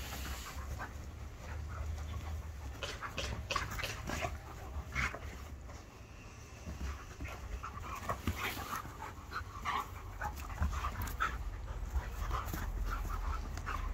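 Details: Archie, a young Irish Setter, and Hercules, a five-year-old Border Collie cross with Kelpie and Blue Heeler, face off in a staredown; steady rapid breathy panting runs the whole stretch, with brief louder gasps over low droning noise.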